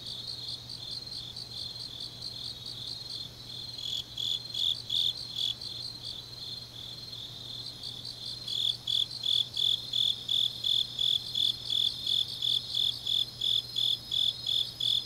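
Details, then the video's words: Grass insects on an autumn night in Changnyeong, Korea: a continuous high shrill trill at first, then from midway loud, regular pulsed chirps join in, about three per second, over a faint low hum. "깊은밤 가을 풀벌레 소리"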